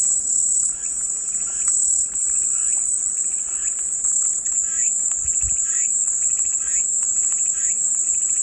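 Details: Peaceful white-noise cicada sound, one unbroken, bright, high-pitched hum running for over eight seconds, with soft repeated bird chirps faintly audible in the background.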